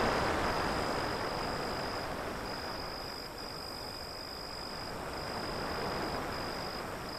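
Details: Crickets keep up a thin, even, high chirping with brief regular gaps, while a steady wash of sea waves fills the lower sound.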